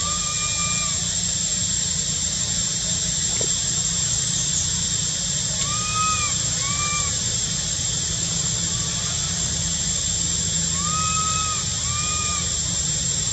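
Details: Young monkey at Angkor Wat and Bayon temple, Cambodia, whistling for milk in spring: paired arching whistles, each rising then falling, repeated in short bursts over a steady loud hiss of insects.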